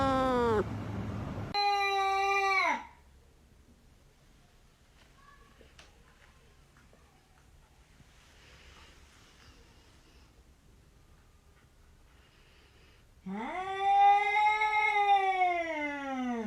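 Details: A talking house cat gives two short bursts of falling meows at the start, then a long quiet stretch with faint rustles, and ends with a loud, rising, wavering, drawn-out meow.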